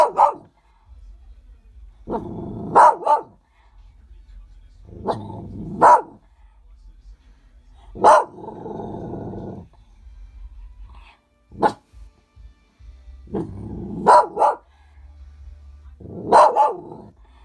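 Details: Dog named Loki, barking at snow, gives clustered sharp barks, often doubled, about every two to three seconds, with low growling stretches leading into them.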